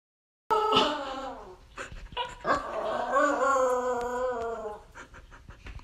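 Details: A female Pembroke Welsh Corgi in Phoenix, Arizona howls while eating, giving warbling, drawn-out 'awoo' howls that waver and sag slightly in pitch. She has made these food howls since about four months old.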